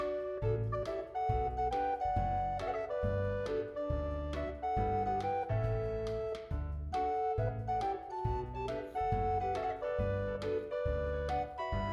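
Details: Jazzy instrumental music fills the whole passage, with brass or reed melodies over piano and a steady low bass pulse. No animal sound can be picked out.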